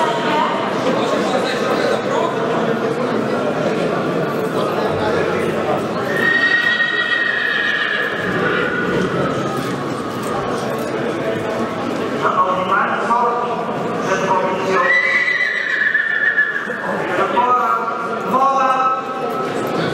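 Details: Monar, a Polish cold-blooded (PKZ) stallion born in 2020, sired by Gabor out of Mona, gives several drawn-out harmonic whinnies, wavering then falling, around the middle and end, with people talking and hoof sounds throughout.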